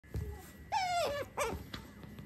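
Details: Pet female otter nuzzling up affectionately while being poked and tickled indoors: a soft, drawn-out whine that falls slightly, then a shorter chirp, over faint background music and a steady electrical hum.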